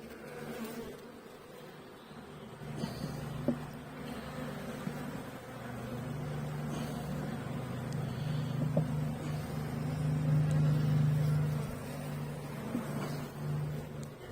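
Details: Honey bees during a hive inspection, seven weeks after installing a nucleus colony with a laying queen and drone brood: steady low hum of the colony, swelling gradually louder, with occasional handling knocks.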